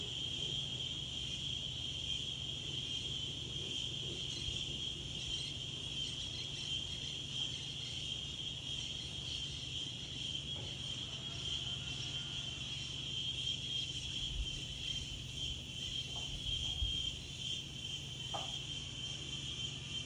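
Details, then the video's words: A daytime insect chorus in the open air: an even, piercing high buzz holds throughout, with a faint whistled note and a few soft knocks and rustles of wind near the end. "Wind and Insects"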